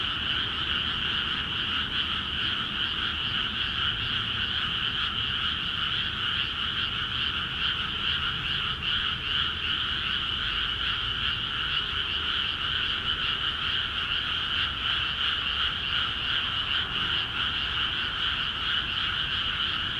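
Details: In Akiha Ward's rice fields, newly filled with water, a large frog chorus croaks without pause. Fast, rattling calls stack into steady high and mid bands, and the loudness stays even for the full twenty seconds.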